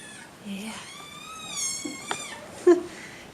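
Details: Madeline Rose, a petite 5-week-old female Seal Point Himalayan kitten being weaned indoors, gives a long, wavering, harmonic-rich scream that rises and falls over about a second. People are talking around her, and a sharp click follows.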